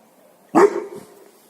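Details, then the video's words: One deep, abrupt dog bark that tails off into a short rough drawn-out sound, set against a faint steady low hum. "DOGS BARKING to Make your Dog Bark | Dog Breeds Barking Sound Effects HD"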